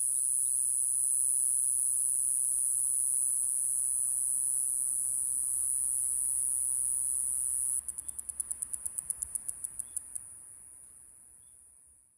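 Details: Okinawan Mogannia minuta cicada, the earliest-singing cicada in Japan: a sustained piercing high buzz runs for several seconds, then breaks into a string of quick separate ticks that fade away toward the end.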